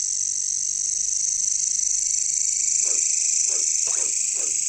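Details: Steady shrill buzzing from jungle katydids, called caricangkas locally, carries through the whole recording, and four short frog croaks arrive in quick succession near the end.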